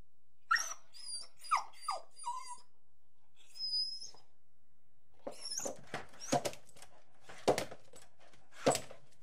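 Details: Angry dog vocalizing indoors: high, squeaky yelps with falling pitch at the start, a pause, then a series of loud, broad, harsh barks spaced about a second apart.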